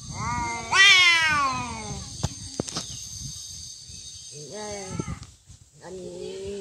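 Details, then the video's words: A cat fight opens with a loud, sharply rising screech, then falls to shorter, lower moaning yowls after clicks and thumps, with a steady high hum behind. "Real cat fight Fighting cats"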